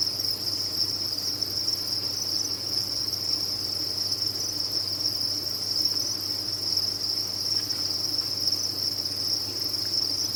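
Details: Farmed crickets chirping all at once, their high trilling merging into a continuous ringing wall of sound with no pauses, a low steady hum beneath.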